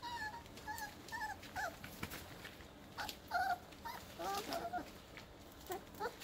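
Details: Nine purebred Airedale Terrier puppies, two days short of five weeks old, playing just after their breakfast meal; short tonal whimpers repeat in a rising-and-falling series, some with overtones, mixed with clicks and light knocking.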